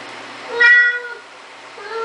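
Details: Siamese cat at a door it is opening indoors, giving one loud drawn-out meow that rises then falls, followed by the start of a second softer meow.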